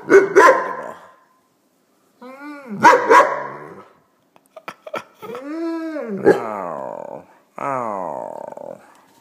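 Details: Weimaraner dog reacting to a passer-by outside that he doesn't like: a couple of sharp barks, then several drawn-out, wavering howl-like moans that rise and fall, with a few clicks between them.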